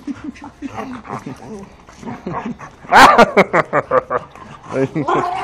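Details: Bull Terrier puppies playing: a stretch of Portuguese talking, then a sudden burst of sharp, rapid yips and barks, about eight in quick succession, ending in a few whiny yaps.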